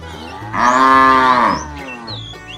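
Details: Tame cows moving on a long journey to fresh pasture; a single strong, nasal moo of about a second swells and fades, with birds chirping faintly and a low hum behind.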